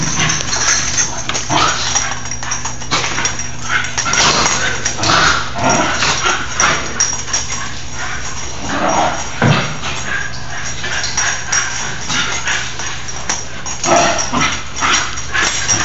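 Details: Nine-month-old Basenji sisters in rough indoor play while rain keeps them inside, bouncing off walls; repeated harsh growl-like bursts and short yips among thuds and paw scrabbling, low steady hum beneath.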